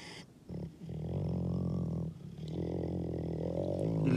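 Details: Male Canadian wolf asserting dominance, recorded on 16 April, his birthday: a sustained deep harmonic growl held about a second and a half, a brief break, then a second long rumbling growl rising slightly in tone.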